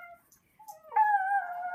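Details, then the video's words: Puppy howling at a loud passing helicopter: a short tone, a pause, then a steady, drawn-out howl holding one pitch, clean and smooth, indoors. "The Puppy Howls And Barks At Helicopter"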